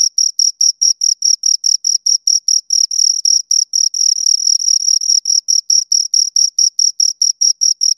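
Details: High, rhythmic chirps from two crickets, regular pulses that briefly run together into a brief continuous trill midway, then resume the even beat; no other sounds.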